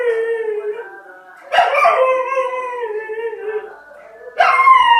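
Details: A singing dog giving sustained tonal howls: a long, steady, slightly falling note, then a louder, richer howl that slowly drops in pitch, and a third howl beginning at the end.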